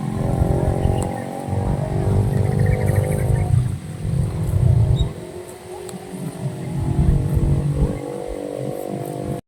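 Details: Cattle among dozens being herded, lowing with a deep, drawn-out moo of rich stacked harmonics lasting about three and a half seconds, then softer, lower moaning calls over a steady low rumble of outdoor background noise.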